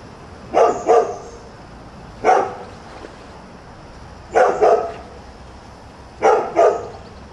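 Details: Newly arrived neighbourhood dog barking at about 7 a.m.: short barks coming singly or in quick doubles every couple of seconds, fairly loud against a quiet background with a constant faint high hum.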